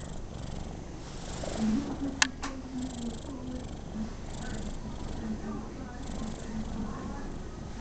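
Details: Pet cat purring while enjoying a pat, a rare quiet moment for an animal that seldom sits still; steady low rumbling throbs through the whole stretch, with two sharp clicks near the two-second mark and faint background murmur.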